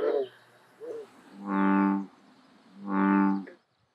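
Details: Male American bullfrogs calling at a beaver pond in late spring, mating season; two deep, droning, cow-like notes, each most of a second, about 1.5 seconds apart, with faint higher green frog calls before them.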